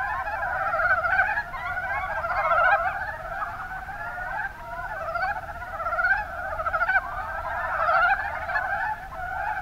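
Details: Numerous mountain brown frogs in the Kuma Basin, Kumamoto, Japan, produce rapid, clucking croaks in overlapping runs. The chorus rises and falls in waves, with a brief lull near the middle before swelling again.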